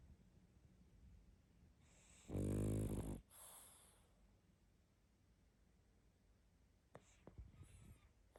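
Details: A single heavy, buzzing snore from a pug sound asleep, followed by a softer trailing exhale, then quiet breathing and a few small clicks and rustles.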